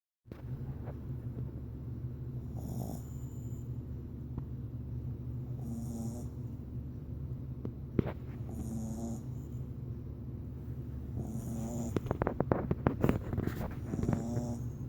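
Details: A sleeping Boston terrier puppy snores loudly in slow, rasping breaths roughly every three seconds.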